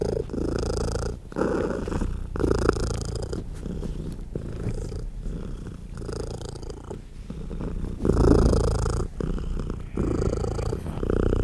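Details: Nursing mother cat with tiny kittens feeding at her side, purring loudly throughout; a deep, steady rumble that swells and fades in breath-length cycles, with short gaps between inhale and exhale phases.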